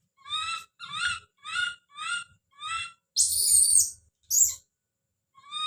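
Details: Don, a baby monkey, calling out with a run of five evenly spaced, tonal, slightly wavering cries, then a long raspy scream and a shorter harsh burst before one more cry.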